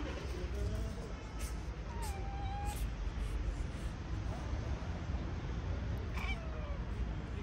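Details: Park-dwelling stray cat, one of a large group sheltering in a small park: a thin, drawn-out mewing tone around the middle, with fainter short calls later, set against constant low background hum.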